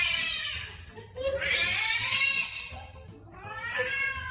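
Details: Indoor cat giving three drawn-out, loud meows in quick succession, each a bright, harmonic wail that rises then falls, the middle one longest; a person's voice is faintly heard between calls.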